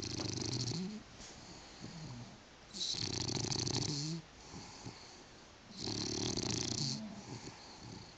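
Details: British Bulldog, female, fast asleep on a couch with her tongue flapping; steady rasping snores in long breaths roughly every three seconds, with a low rumble under hissy upper noise.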